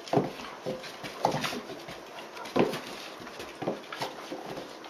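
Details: Dobermann puppy at 76 days, wrestling with an older female Dobermann one August afternoon in 2016. Roughly four gruff, whining vocal bursts arrive about a second apart, each short and harsh, with scuffle noises beneath.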